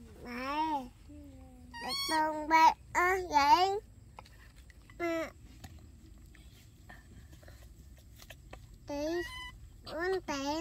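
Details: Dorn and Dum, baby monkeys, make rapid rising-and-falling harmonic coos in clustered bursts, then a quiet stretch before more wavering calls near the end, over a faint low hum.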